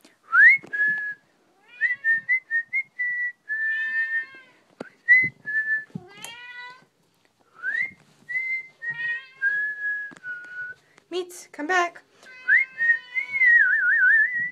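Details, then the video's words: Male Maine Coon Mitz, indoors and following someone who whistles, meowing repeatedly; a busy mix of short whistled phrases and ringing meows, with a few sharp clicks. "Cat likes whistling"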